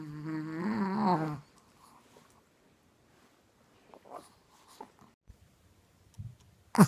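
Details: A fat Chihuahua, sleeping, gives one low, buzzy snore with a wavering tone, then near silence.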